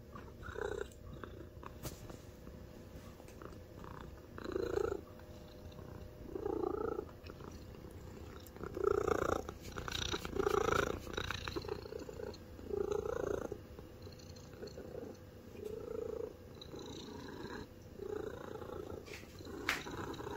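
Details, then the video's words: Omame, a plump white spayed mixed-breed house cat (American Shorthair × Golden Chinchilla), purring indoors; rumbling swells rise and fade roughly every two seconds in a steady breathing rhythm, with light rustling between. "ゴロゴロ言うミックス猫 おまめ"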